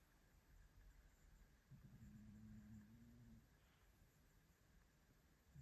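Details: A sleeping Maine Coon cat, lying on an armchair on a Monday morning, gives a single low, droning snore over a quiet background hiss.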